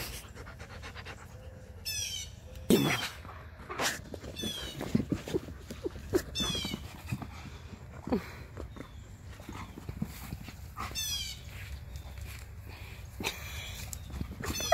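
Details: During a Husky and Malamute wrestling match, their usual morning tussle, heavy rhythmic panting and breathy grunts repeat throughout, punctuated by sudden scuffles, while birds chirp outdoors.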